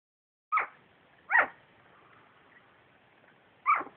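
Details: Two-week-old puppies making small noises: three short, sharp high squeaks, the first two close together and the third after a pause of about two seconds, in a quiet room.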